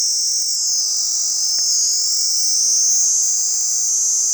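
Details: A cicada in a tree gives a loud, continuous high-pitched buzz that holds steady without a break.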